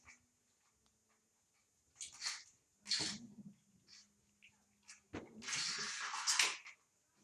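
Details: Young puppies, 25 days old, indoors in a living room at night: a thin whine running underneath, broken by loud, harsh, noisy squeals and yelps in bursts of about a second.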